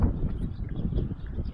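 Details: Pigs in their pen on a sunny, 80-degree day, May 2, 2015, eating dandelions and grass at supper time and talking to Diego the herding dog: low, muffled grunting pulses in quick succession, with faint outdoor background.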